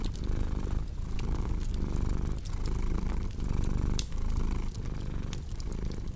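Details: Steady rumbling purr of a cat, breath-paced swells near one per second, mixed with crackling, popping sounds of a cozy fireplace.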